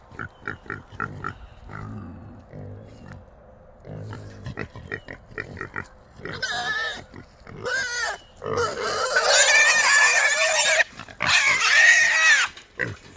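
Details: Three small wild hogs caught together in a small trap; quick rhythmic grunting at first, then loud, harsh, drawn-out squealing bursts that fill the last seconds.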